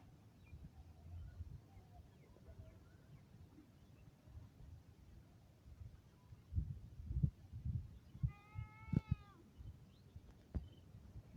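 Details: A single short, tonal meow from a cat rises briefly near the end. It comes after a quiet stretch with faint murmuring background and is followed by a few knocks and bumps.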